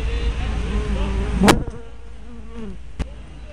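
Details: Honey bees at a hive entrance, recorded 24 May 2012 on a small spy camera with a fisheye lens: a low droning hum with passing buzzes that swoop up and down in pitch, plus two sharp clicks.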